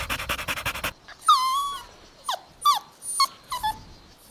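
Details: Golden Retriever puppies playing outdoors in a green meadow give high, tonal whimpers and short yelps that drop in pitch after a burst of rustling, amid panting.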